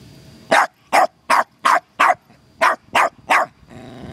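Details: Costello the terrier barking at a turtle discovered in the yard: eight sharp, evenly spaced barks over about three seconds, ending in a faint low growl.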